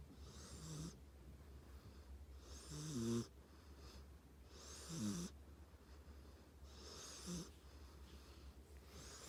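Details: Sleeping dog named Tank gives big snores, each a raspy hiss with a low rumbling, gurgling edge, about every two seconds, set against a constant low electrical hum.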